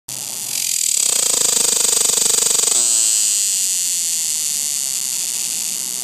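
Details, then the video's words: A cicada seen up close on a tree gives a loud, harsh, high-pitched buzz that starts pulsing and then settles into a steady drone. "Cicada on tree making its distinctive sound"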